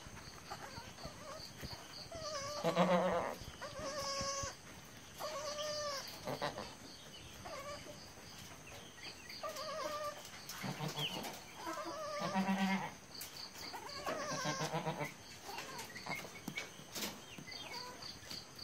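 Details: Newborn goat kids, three born to a nanny goat named Kingini and called Porinju, Mariyam and Jose, give high, quavering bleats every two seconds or so, some sliding up then down, over a faint steady background hum.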